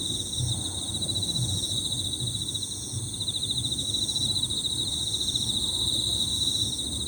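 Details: Overlapping high-pitched trills from a group of Emma field crickets form a steady, pulsing ribbon of sound, layered over other thin, very high insect tones and a soft low background hum.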